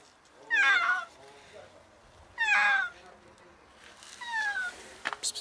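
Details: Sick cat stuck in an alley reachable only through a door, calling desperately for help: two strong, downward-sliding meows two seconds apart, then a fainter third meow and a few short clicks.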